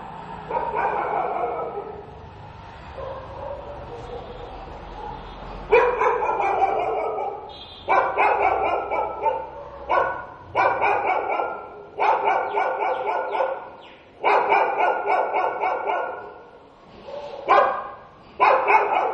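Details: Stray dog barking in the daytime, sharp bursts of rapid barks after a quieter murmuring opening, each volley of several quick barks separated by brief pauses, with faint human voices and laughter nearby.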